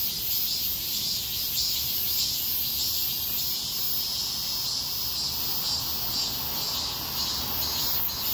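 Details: Street chorus of many cicadas in heatwave conditions, a loud unbroken shrill hiss that wavers gently in intensity, layered with a thin very high whine and soft low traffic-like rumble beneath.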